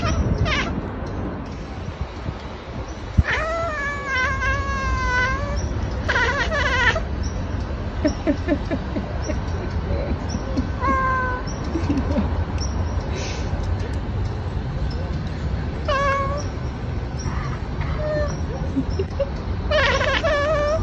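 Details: Cat chirping and chattering: clusters of short, harmonic trilled chirps with wavering pitch near the start, then scattered single chirps, over a constant low household hum.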